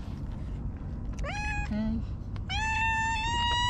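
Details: Hige Danshaku, a stray park cat, meows: a short rising call, a brief low note, then a long, steady meow that climbs slightly at the end. Constant low-pitched rumble underneath.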